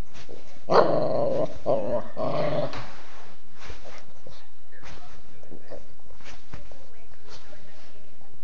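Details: Norman, a Mastiff cross dog, gives a loud growling vocalisation with strong harmonic bursts over the first three seconds, followed by quieter snuffling and scattered household noises.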